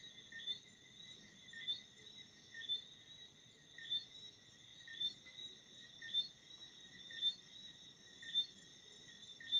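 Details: Crickets chirping at night: short, bright high-pitched pulses repeating roughly once a second over a steady shrill trill, with a faint low background rumble.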